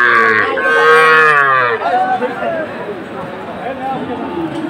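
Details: Sahiwal cattle at a cattle market in Chattogram, Bangladesh, on 7 September 2024, where a farmer is buying a Sahiwal bull: one loud, richly harmonic moo lasting nearly two seconds, then crowd murmur and voices.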